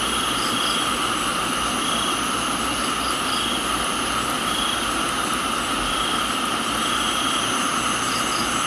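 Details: Crickets in a tropical garden in Thailand, mixed with rain: several steady, unbroken trilling drones at different pitches hold through the whole stretch, with a faint pulsing high chirp above and a constant soft hiss of rainfall underneath.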